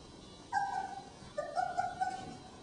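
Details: Three-week-old puppies of Jen and Singe in a newly expanded pen give two high, thin whines; the first is brief and steady, the second longer and wavering, over a quiet room.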